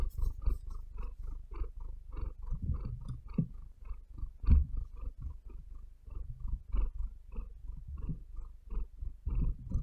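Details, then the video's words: Pet cat purring close to the listener, a deep continuous rumble broken into rapid even pulses with each breath, occasional louder knocks from claws digging into the bed. "Cat Purring Cat Breathing"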